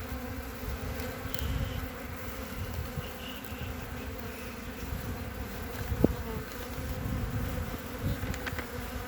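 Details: A honey bee colony on three frames, opened on 14 February 2021, where the bees have eaten some honey: continuous droning hum of many bees with a faint higher overtone and a brief sharp click midway.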